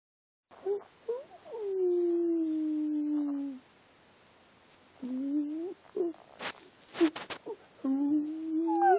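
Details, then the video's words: Dog named Bella 'speaking dog language', with drawn-out tonal moans that glide slowly downward, then rise again after a pause, broken by a few short sharp yelps and clicks near the end. "Bella speaking! waf waf!"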